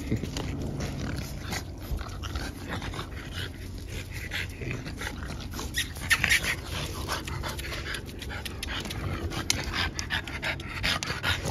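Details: French Bulldog puppies with their parents indoors: quick, breathy panting and snuffling bursts repeat irregularly, sharper huffs near the middle and end, over a steady low hum of room noise.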